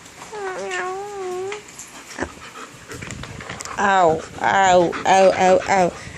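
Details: German Shepherd named Jordan, a male pet dog playing inside the house while heavy rain falls outside; a wavering high whine first, then a run of five or six yodelling, moaning howl-like vocal bursts, with a person talking.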